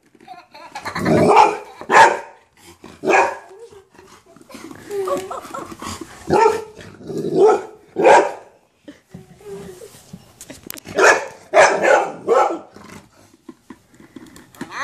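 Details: Facing a minion for the first time, a golden retriever lets out clusters of sharp barks separated by quieter spells. Speech and small rustling sounds come through in the gaps inside a small room.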